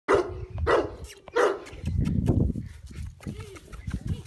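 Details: A large 16-month-old dog barking while having fun and playing: three loud, sharp barks in quick succession, followed by low rumbling sounds and softer vocal noises.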